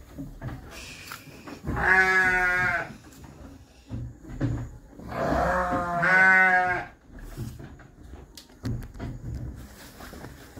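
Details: A pregnant young doe goat, eight months old, over two months into pregnancy, with a horse-coloured coat, after being moved to a new pen, gives two loud, wavering, quavering bleats about four seconds apart, with quieter rustling between them.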